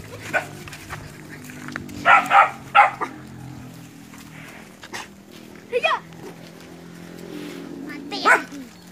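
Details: Nine puppies facing a large water buffalo in a training session in West Sumatra, Indonesia; scattered sharp barks and yelps over a low steady hum, with people speaking in the background.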